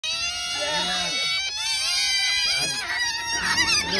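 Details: Otters making strange sounds to get food: loud, overlapping, high whining squeals rich in harmonics, several voices rising and falling together in a constant chorus.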